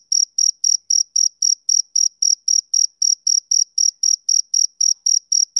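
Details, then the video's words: Male cricket on a summer evening giving rhythmic shrill chirps, around three to four per second, each a brief bright buzz, steady throughout and otherwise silent. "Cricket Chirping Sound Effect"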